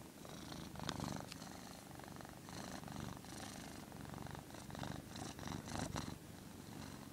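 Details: Purring house cat, one that does not like being filmed, giving a rhythmic low rumble that rises and falls in cycles of roughly a second, with occasional sharp clicks from handling.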